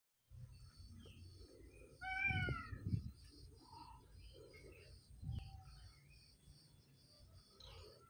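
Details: Bengal cat being affectionate and clingy indoors. It gives a single clear meow that rises and then falls, followed by soft short sounds and a faint steady hum.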